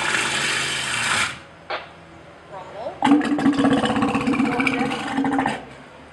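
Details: A male walrus serenading females while floating in the water during mating: rapid knocking teeth clicks blended with a low, ringing, bell-like tone.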